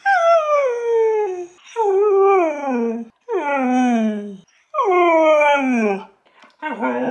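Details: Pet husky dog vocalizing as if saying hello and other words: a series of drawn-out, howl-like calls, each sliding down from a higher pitch to a low, wavering end, about a second and a half long, separated by short pauses.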